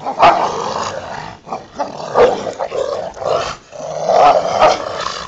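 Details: Rottweilers Ceffy and Oscar tussle over a toy in the back yard, giving throaty, rumbling growls in three main bouts separated by brief pauses, with snorts and scuffling between the louder rasping surges.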